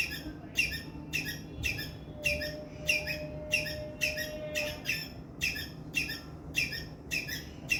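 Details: Loud chirping distress call of a squirrel: about a dozen harsh, buzzy notes, each with a sharp falling start, repeated steadily at a fast pace, over a faint thin tone and a low background hum.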